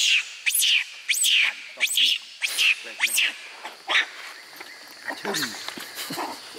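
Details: Monkey in a park troop, a male named Jax shouting loudly while chasing a female, Logan, for her mango; a run of shrill, high, sharply rising and falling squeals about once per second, then lower rasping calls with human voices.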